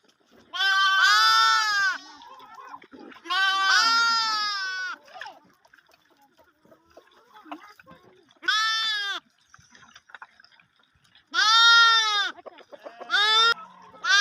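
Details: Sheep and lambs, lambs suckling milk: loud vibrato bleats spaced irregularly, roughly every two to three seconds at first, then after a quiet stretch, several more, the last ones short and clipped.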